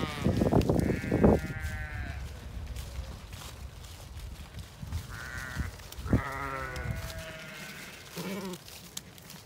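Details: Zwartbles sheep in a field in County Kilkenny, Ireland, at nightfall, trailing along expecting food; several quavering bleats of varying pitch, a long one at six seconds, mixed with footsteps and thumps in the grass.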